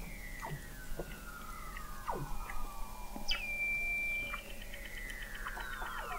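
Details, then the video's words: Beneath Antarctic sea ice in McMurdo Sound, November 2017, Weddell seals give a long gliding descending whistle, knocking pulses, then a bright high held tone and a burst of rising and falling sweeps. "Song of the Antarctic Weddell Seal"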